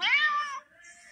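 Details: Pumpkin, a female red tabby house cat filmed in October 2023, said to act like a Siamese and be very vocal; one loud, bright meow with rich harmonics, slightly falling over half a second, then quiet room hush.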